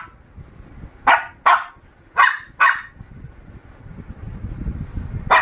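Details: Shih Tzu puppy barking: two pairs of sharp, high, yappy barks in quick succession, then a pause with low rumbling background noise before a single final bark.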